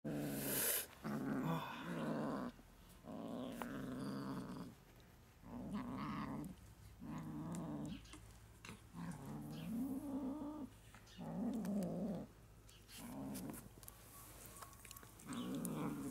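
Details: New grey kitten scratching to get a share of the meat. Low, rough growls with a clear harmonic layer come in bursts lasting about a second, separated by short pauses, with a few faint rustles between them.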